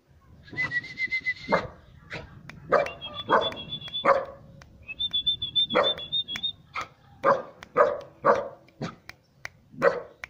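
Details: A three-month-old Siberian Husky puppy barks at someone it doesn't know, giving sharp, repeated barks mixed with high, drawn-out whining notes.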